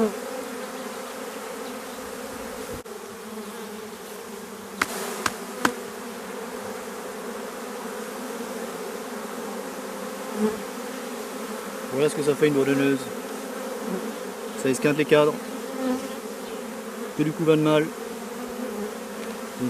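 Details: Drone-laying honey bee hive with laying workers, frames shaken roughly fifty metres from the apiary: a steady, unbroken droning buzz, with a few knocks around five seconds and short bursts of human speech in the second half.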